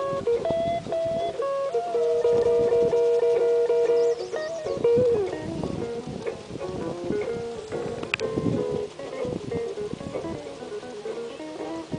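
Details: Plucked guitar music with sustained melodic notes plays throughout, with no animal sounds.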